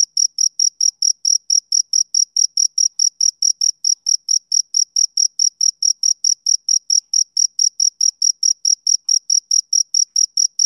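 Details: Summer-evening chirping of a male cricket, a steady train of shrill, clean pulses at roughly four per second, unbroken throughout against total quiet.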